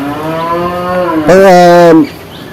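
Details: Male water buffalo, said to have two teeth, giving a loud, steady low moo with a harmonic ring lasting under a second, with men talking just before.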